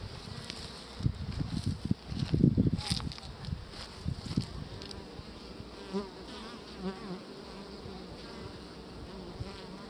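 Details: Honeybees around a queen on beeswax, a continuous low hum with louder close wingbeat bursts in the first four seconds as bees pass near, then a steadier softer drone.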